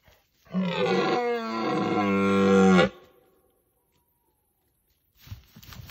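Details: Red deer in the rut, appearing against the sky, gives one long, deep, harmonic roar lasting about two and a half seconds. It holds steady, swells toward the end, then cuts off abruptly. Silence follows, then faint rustling.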